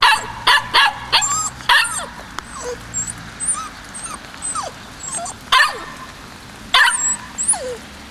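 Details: White male Kishu puppy, 56 days old, born 17 January 2020, recorded 14 March 2020, giving sharp yapping barks in short bursts, three clustered early and two more after a pause, with thin high chirps throughout.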